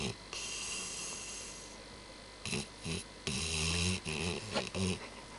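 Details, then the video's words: Labrador named Nero snoring at home, a rare heavy bout; low rasping snore bursts with buzzy harmonics, clustered from about three to five seconds after a quieter breathy stretch. "nero snoring"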